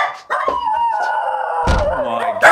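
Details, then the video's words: Stressed, very vocal miniature schnauzer reacting as the vet arrives at the home: a long, high, wavering whine with harmonics, broken by a thump and a sharp yelp at the end. "he's very very vocal and i'm amazed that the neighbors aren't complaining"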